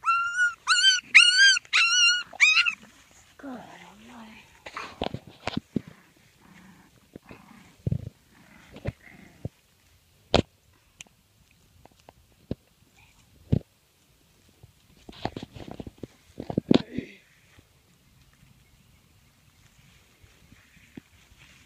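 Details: Five-week-old English Bulldog puppies playing, one giving a burst of high, wavering whines in quick succession, then scattered thumps, clicks and brief yips of play, with occasional human voices.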